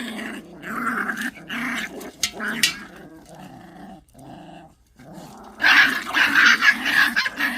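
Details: Pungsan dogs fighting over rank: throaty, wavering growls in short pulses, a brief lull, then a loud burst of harsh snarls and yelps.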